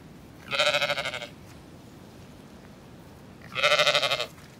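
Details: Zwartbles sheep on a farm in County Kilkenny, Ireland, sheltering among orchard apple trees during a break in gales and rain, ewe with young lambs suckling; two loud wavering bleats, each under a second, about three seconds apart, over a steady windy hiss.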